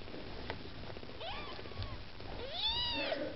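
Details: Two rising-and-falling kitten meows from Maine Coon kittens with mother Lakshmi, angling for food; the second is longer, louder and more tonal, with a quieter mew just before it.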